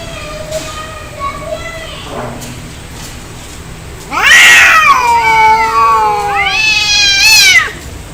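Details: Fighting cats, angry: soft low moans at first, then a sudden loud wavering yowl bending up and down, and a second high, strained howl held for about a second before stopping.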